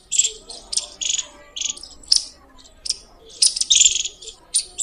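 A squirrel chirps loudly, each note a shrill, scratchy chip delivered in quick runs and short bursts. The calls come every half second or so, with brief pauses between groups.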